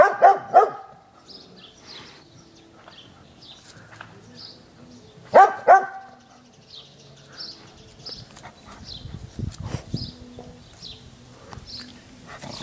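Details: Izzie the dog barks at balloons on a garden fence: a quick double bark, then another pair about five seconds later, followed by quiet stretches with chirping birds and low rumbling at the end.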